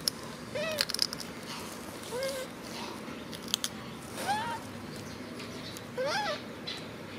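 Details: Male macaque hugging his favourite food package and crying: four separate arched, whiny wails spaced a couple of seconds apart, each rising then dropping, over a steady background hiss and scattered clicks.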